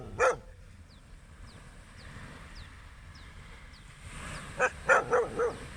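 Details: On a sunrise beach walk a dog gives one sharp bark, falls quiet for several seconds amid faint high chirps, then lets out a quick cluster of four barks.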